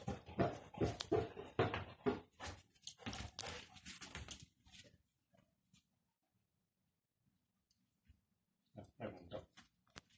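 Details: A male Hungarian Vizsla, recently arrived in his home, gives a rapid run of whiny, grumbling vocal bursts indoors on 14 January 2021, then a brief final outburst.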